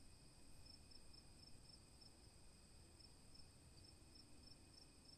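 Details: Crickets at night: a steady, high-pitched ringing trill with short bright pulses repeated several times a second, over a low rumbling background.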